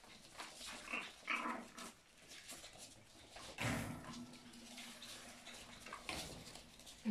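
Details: Miniature German Spitz dogs, several indoors, give short low growling sounds, with a longer steady growl near the middle, among rustling, scuffling and clattering household noise.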